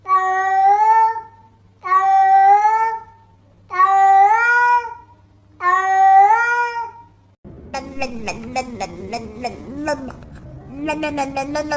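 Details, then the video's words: Cat meowing, cast as talking like a human: four drawn-out, slightly rising meows about two seconds apart, then a burst of clattering music with tonal notes. "Talking Cats Like Human"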